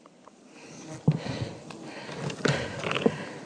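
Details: Soft rustling, a few sharp knocks and faint sniff-like noises sound in a quiet space, with no animal voice.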